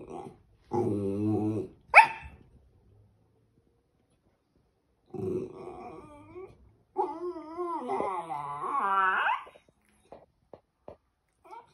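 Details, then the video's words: Charlie, a West Highland White Terrier, talking like a baby indoors: a low moaning grumble, a sharp yelp, then after a pause wavering, rising whiny vocal sounds climbing in pitch, with a few faint clicks afterward. "Westie dog talking like baby"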